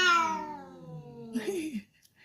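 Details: Angry, emotional domestic cat ends a long falling meow with a short wavering yowl, followed by brief quiet; indoor setting.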